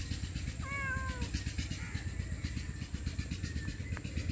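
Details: A hungry stray cat pleading for food and shelter gives a single clear, slightly falling meow lasting under a second, against a steady low-pitched mechanical rumble and faint hiss.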